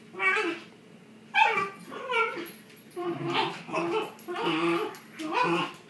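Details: Shiba Inu dogs playing tug of war, with harmonic growling yips and whines in six bursts roughly every second, rising and falling in pitch.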